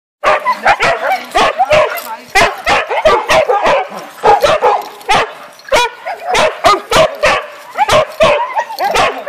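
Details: Huskies at a husky camp during winter holidays, at feeding time, give a rush of excited yelps, whines and yodelling woo-woo calls, bursting out over and over.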